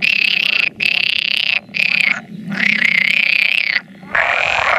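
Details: Pool frogs at spawning, about 100 males calling, with an occasional edible frog present, recorded 16 May 2017. Loud, close croaking bursts about a second long come in quick succession, separated by short gaps, over a quieter background chorus.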